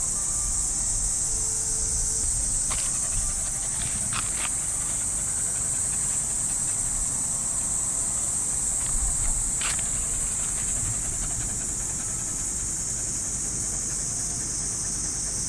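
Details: Cicadas singing in trees of a Japanese park on an early summer morning make a continuous high-pitched droning hiss, with scattered clicks and light rustles from a walk on the path.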